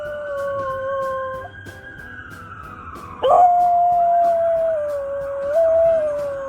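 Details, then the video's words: Former stray dog living near a hospital howls along with a passing ambulance siren: a steady drawn-out howl, a brief break, then a louder, longer wavering howl, with the siren's sliding tone audible behind. "Now He Howls at Every Ambulance"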